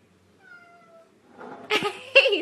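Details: Domestic cat gives a faint, thin, slightly falling tone, then two louder, harsh, wavering meows in quick succession indoors, with a brief human voice nearby.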